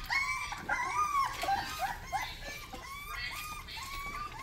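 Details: Rottweiler puppy giving its first barks: high, thin arched yelps that rise and fall, repeated in quick succession about three per second, with short gaps and no other clear sounds.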